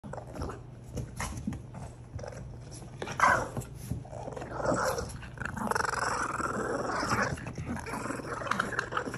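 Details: Boston Terriers growl in rough, rumbling bursts while playing with a pig toy, with snuffling and scuffling in between.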